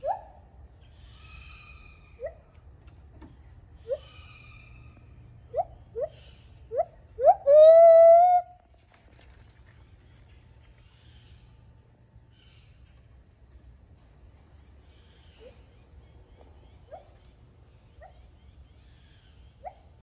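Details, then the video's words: Baby gibbon at Dade City's Wild Things learning to sing for the first time: short rising hoots near one pitch spaced a second or two apart, then a louder wavering upslurred wail, followed by soft scattered notes. "Cutest Baby Gibbon learning to Sing"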